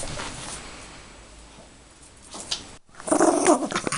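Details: A Yorkshire Terrier gives a brief, rough growl with a whiny edge after a quiet start while playing with her toy bunny.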